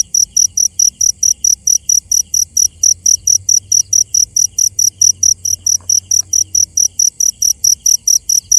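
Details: Night-time cricket calling with rapid shrill pulses, roughly four each second, evenly spaced throughout, with a soft low hum underneath.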